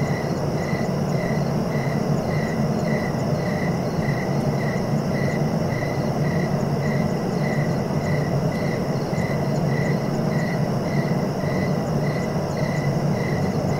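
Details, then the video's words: Crickets chirping in a steady, even rhythm of short high pulses, about two per second, over a continuous higher-pitched insect drone and a low background rumble. "Relaxing cricket sounds for sleeping"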